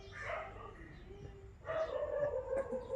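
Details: Black puppy showing affection to its caretaker, giving two tonal whining yelps, a short first one followed by a longer, wavering second, with a person's coaxing voice calling it close by.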